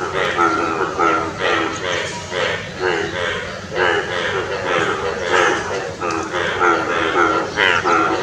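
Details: Indian bullfrogs (Hoplobatrachus tigerinus) call in a dense chorus of loud, nasal, rasping croaks that overlap without pause, with a calling frog's vocal sac inflating.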